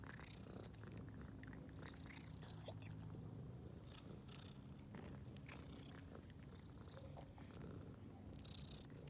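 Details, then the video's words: Happy purring from a ginger and white stray she-cat after being given food, pleased to see people; even low rumble throughout, overlaid by light clicks and short rustling sounds. "Ginger White Cat is making Happy Sounds about Seeing Us"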